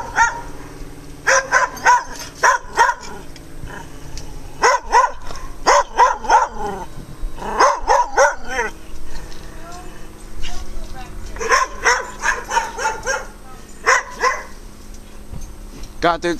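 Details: Several dogs barking loudly in bursts, harsh repeated barks in clusters of three to five with short pauses, a man talking quietly between the volleys.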